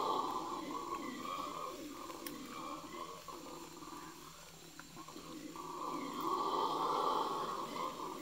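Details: Wild red howler monkeys in Yasuni National Park, Ecuador, in the Amazon Basin near the Napo Wildlife Center, recorded 21 November 2018: a deep, sustained, rough roaring chorus that fades midway and then swells again loudly.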